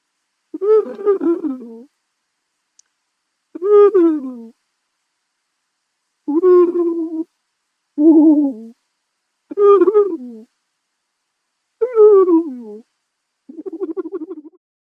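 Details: Porcupine giving repeated whimpering calls, seven short harmonic moans that drop in pitch toward their ends, spaced one to two seconds apart in an otherwise silent setting.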